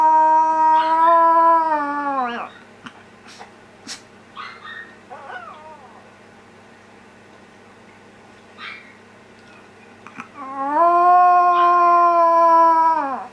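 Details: Howling reply from an older house dog to her younger sister's cry: a steady two-second howl that slides down at the end, soft whimpering yips in the pause, then a second rising, sustained howl.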